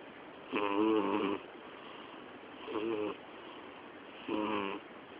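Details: Loud snoring from a sleeping twelve-year-old female cat called Miyabi; three raspy, harmonic breaths, the first long and strong, the next two shorter, separated by quiet pauses in a hushed room.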